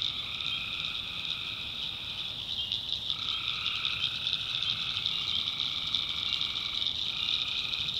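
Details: Nighttime tree frog chorus recorded in the North Carolina backwoods: shrill overlapping trills hold steady throughout while a lower caller switches on and off in phrases of a few seconds.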